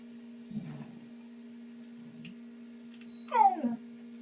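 A Shiba Inu yawns with a short squeaky vocal sweep falling from high to low pitch near the end. Soft rustling comes earlier, and a constant low appliance hum runs underneath throughout.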